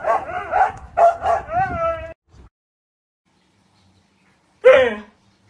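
A Siberian Husky gives a run of warbling, vowel-like yowls, then one more short yelp after a pause.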